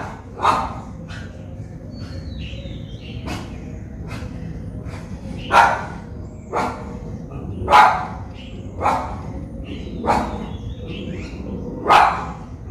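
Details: Japanese Spitz dog in Colombo, Sri Lanka, barking in loud single barks at irregular intervals, roughly nine over twelve seconds, with faint bird chirps in the background.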